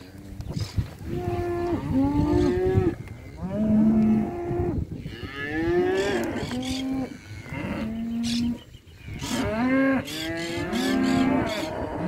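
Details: Male and female calves at a year-end livestock auction in Junín, December 2019, bellowing repeatedly; many overlapping drawn-out moos, some bending upward, some flat, from several calves with brief clattering noises between calls.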